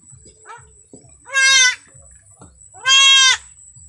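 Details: Farm goat during a birth on a family farm, bleating twice: two loud, wavering, strongly harmonic bleats about a second and a half apart, over a steady high electronic whine and soft rhythmic low thumps of background music.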